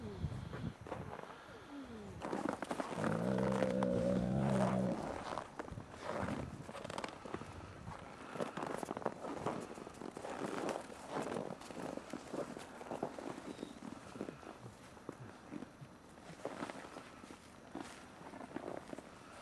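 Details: Ambassador gray wolves in dominance interactions, 15 December 2008: a harsh, harmonic growling roar swells for about two seconds, then scuffling movement, footfalls and rustling fill the rest of the outdoor scene.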